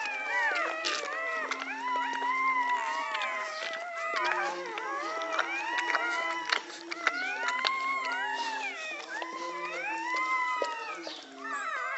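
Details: American Pit Bull Terrier puppies being born in Egypt whine in a steady stream of high, arching squeals during the birth.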